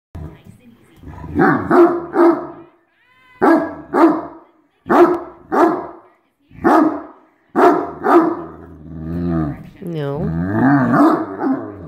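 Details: Great Dane pushing for a spot on the couch that another dog refuses to give up, giving a run of deep, short barks in pairs and triplets, then grumbling, whining vocalizations toward the end.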